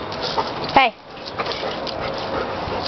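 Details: Jade, a hyper pet dog being asked to shake, lets out one short high whimper that slides downward, with a woman's voice giving commands and praise around it.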